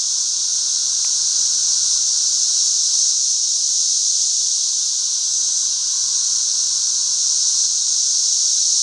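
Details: Periodical cicadas of a 13-year brood, thousands flying around a back yard, fill the air with a relentless high-pitched sizzling whine and a softer lower drone, with one brief click near the start.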